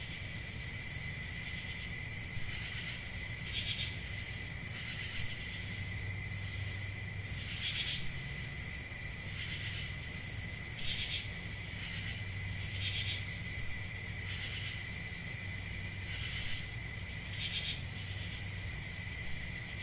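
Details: Crickets keep up a steady shrill trill. About eight brighter swells come every two seconds or so, with a gentle low background drone.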